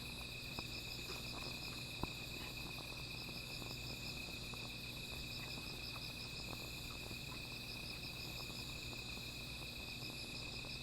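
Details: Insects at night near a small fire keep up a shrill, pulsing, high-pitched drone throughout, with a faint upper ringing band, one sharp click early on, and a low hum beneath.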